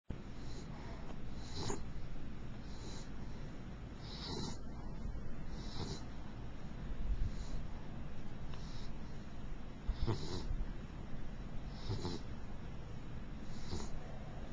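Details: Princess, a mixed beagle, snoring while asleep: soft, breathy rasping bursts repeating about every one and a half seconds over a steady low background hum.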